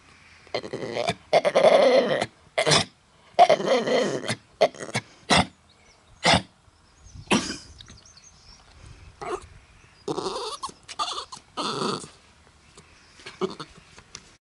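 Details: Mutley the dog tries to sing at Bredagh, Carrigallen, County Leitrim, on 27 August 2016, despite a bad cough. Harsh, short coughing bursts alternate with a few longer, hoarse, howl-like phrases, separated by quiet gaps.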